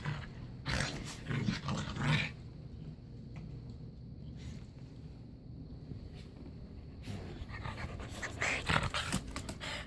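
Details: Dogs playing together on a bed indoors; quick rough panting and snuffling breaths in irregular bursts, with rustling of bedding and brief louder scuffles at the start and near the end.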